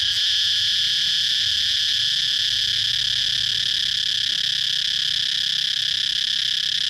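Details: Cicada singing in a steady, shrill, unbroken drone, a dense high buzz that holds at one even loudness for the whole stretch with no pauses and only a faint low rumble beneath.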